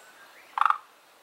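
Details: Two kinds of unidentified frogs have settled in a garden pond; one frog there gives a single short call, three fast rattling pulses run together into a croak under a quarter second long, with an otherwise quiet background.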